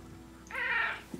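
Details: A chatty male Maine Coon cat, talking with its owners while being offered chicken, gives a single smooth half-second meow that swells and rises slightly before fading, ending with a soft click amid indoor quiet.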